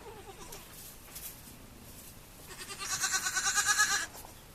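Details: A baby goat gives a long, wavering bleat that pulses rapidly, following a few faint squeaks and rustles.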